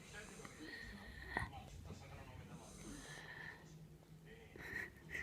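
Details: Jack Russell Terrier named Kinako snoring while asleep, breaths carrying a thin whistling wheeze that rises and fades several times, over low snuffling in a small room.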